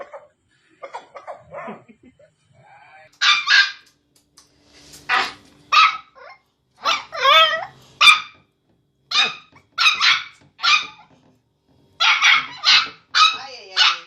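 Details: Dogs of different breeds making funny noises: a rapid string of short, sharp barks and yips, some high and squeaky, one rising and wavering, in bursts separated by brief pauses over about fourteen seconds.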